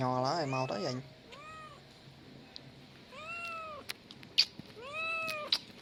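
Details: Young male cat producing three separate arched meows, each rising then dropping in pitch, after a brief burst of human talk at the start. Quiet background with a few sharp clicks.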